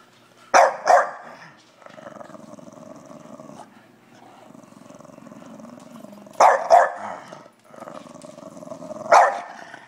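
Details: A 3-year-old female English Bulldog that hates being videotaped grumbles in a low, droning voice, breaking into sharp double barks in protest.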